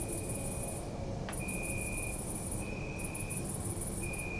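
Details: Crickets at night in a city park: a high, pulsing chirp near the top of the range in long bursts broken by short gaps, with a steady thin tone running underneath and a dull low urban rumble throughout.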